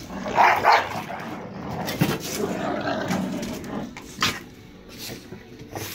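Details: A Staffordshire Bull Terrier family tears apart a toy together, giving rough, rapid barks and throaty growls in bursts.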